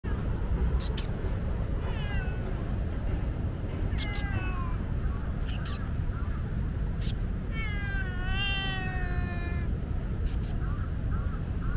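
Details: A talkative, loud-meowing tomcat of Lumpini Park calls outdoors. There are four drawn-out, wavering meows, each rich in overtones, spaced a few seconds apart, with the longest near the end. A steady low roar of traffic runs underneath.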